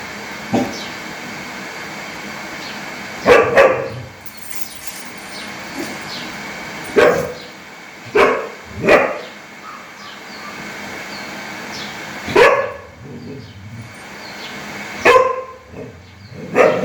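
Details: Angry dog barking loudly outdoors: single and paired harsh barks spaced several seconds apart over steady background noise, with faint distant sounds between them.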